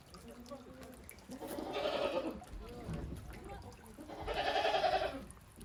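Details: Farm goats at a handmade goat farm in Japan, venturing timidly onto snow after heavy snowfall on 28 December 2023; two drawn-out, wavering bleats about two seconds apart, with people talking quietly in the background.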